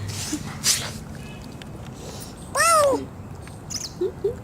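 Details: Hungry, injured lame cat found crying near a neighbour's door, crying from hunger rather than from its injury; one loud, drawn-out arched meow with a rising then falling tone, then two faint short mews, with brief rustles and voices around it.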